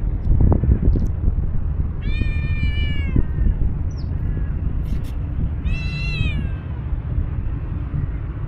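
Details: Angry-voiced tuxedo street cat, a stray with no tie to an old cat, lets out two long, strained meows several seconds apart, each holding a level pitch before dropping, against constant low outdoor rumble.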